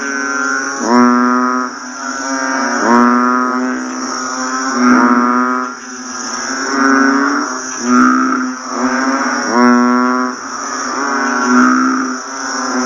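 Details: Chorus of banded bullfrogs calling after fresh rain: loud, lowing calls rise in repeated surges roughly every two seconds, with fainter callers between and a continuous high-pitched hum in the background.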